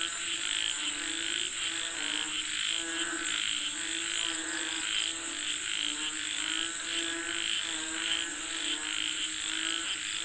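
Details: Frogs calling for rain, a busy chorus of pulsed, guttural croaks overlapping in steady waves, accompanied throughout by a sharp, unbroken insect drone high above.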